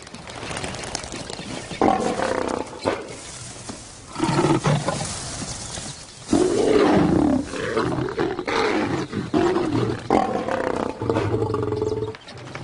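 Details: Lions in the wild, with a roar in another lion's territory described as the ultimate insult to a resident male; deep rough roars come in bouts of short grunting pulses, separated by brief pauses, against a quiet night background.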